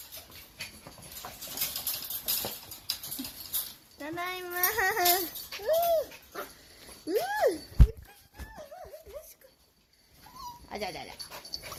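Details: Kyle, a two-month-old Toy Poodle puppy, lets out wavering, warbling whines that rise and fall in pitch, in several drawn-out bursts separated by quiet gaps, with human talking and household noise in the background.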